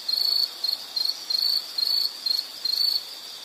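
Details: Insect calling in a nature-sound recording: high, shrill chirping bursts of about a third of a second each, roughly seven of them with short silent gaps in between, over a soft hiss.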